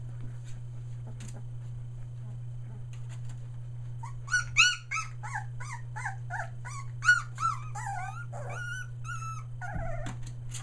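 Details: Australian Shepherd puppies a day short of three weeks old; after quiet soft snuffles, a run of clear high whines and squeaky yelps, each bending up then down, about two per second, then a harsher cry, over a constant low hum.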